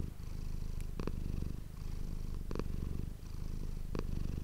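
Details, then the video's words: Manis, a pet cat, purring close to an ASMR microphone indoors; a steady deep vibrating rumble swells and fades, interrupted by short sharp gaps roughly every one and a half seconds as the cat breathes. "ASMR cat purring ❤ Manis die aan het spinnen is"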